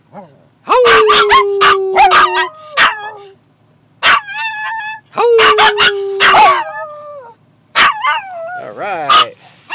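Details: Maltese puppy Emmie, with separation anxiety after her owner left the car, howls together with another dog in drawn-out, slightly falling notes broken by sharp yips and barks; howling is encouraged to distract her.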